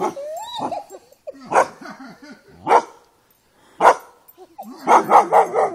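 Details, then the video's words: Dog confronting and fighting a buffalo: several sharp, harsh barks in irregular bursts, a rapid cluster of three near the end, mixed with some softer whining or voice-like sounds between them. "dog fights buffalo"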